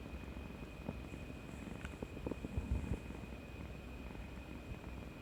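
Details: Pet cat named Kuri-chan, cuddly after a vaccination on 18 March 2020, purring in a deep, steady rumble; a few soft thumps and rustles in the middle, a thin constant high whine behind.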